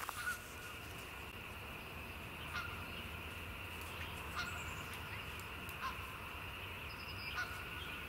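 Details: Spring peepers, tiny frogs, calling in spring: a dense, steady high-pitched chorus of shrill peeps blending into a continuous ringing tone, with a few louder separate notes standing out every second or two.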